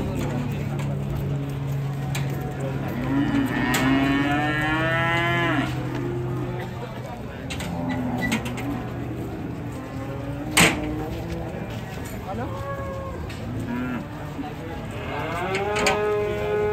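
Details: Unruly cattle acting wild while being unloaded from a truck: a series of long, drawn-out moos with sliding, wavering pitch, some overlapping, over steady background noise and people talking, with one sharp knock partway through.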